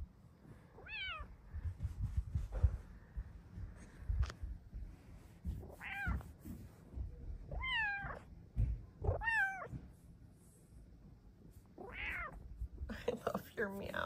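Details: Luxey the Bengal cat, asking for a blanket cat cave, meows repeatedly indoors, with short wavering and bending meows every one to two seconds, amid blanket rustling, a person talking to her, and faint music.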